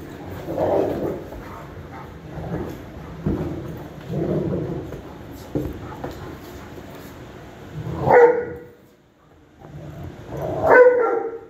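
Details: Dog playing with a companion dog indoors; muffled scuffling and low growly huffs, then two sharp, loud barks spaced about two and a half seconds apart near the end.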